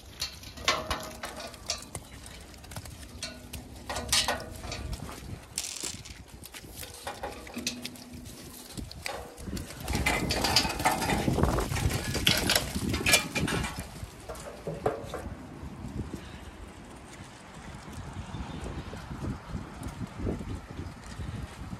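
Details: Zwartbles sheep flock on a regenerative farm in County Kilkenny, Ireland, calling to each other that they're about to be fed, a lookout alerting the rest. Two drawn-out low bleats rise above steady clattering, rustling and knocking noises.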